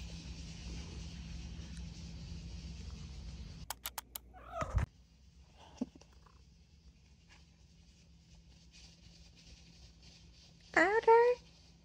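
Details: Talkative female domestic cat that meows in response when her name is called; after some clicks and a knock, a single loud, clear, tonal meow rising then falling near the end, over a low steady hum.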